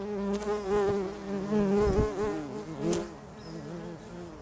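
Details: Loud, close bumblebee buzz from bees nesting in a house roof, a low humming drone that swells and dips in pitch as they fly, with a few clicks and bumps.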